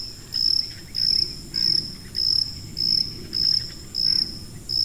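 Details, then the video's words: A cricket calls in steady high-frequency chirps, each a brief piercing trill, about eight of them evenly spaced, with faint low rumbling beneath; meant as masking sound for tinnitus. "고주파_귀뚜라미3 / High-Frequency_Cricket3"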